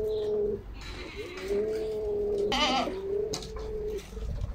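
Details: Goat on a home farmstead where the nanny Măriuca has just become a mother for the first time, giving birth to a male kid. Long, steady, mid-pitched bleats, one drawn out past a second, with a brief rustling burst between them.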